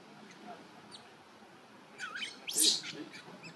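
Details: Newborn baby monkey Luno at a Cambodian temple calls for its mother: a wavering tonal whine, then a sudden loud, harsh, high-pitched shriek, with faint background noise around it.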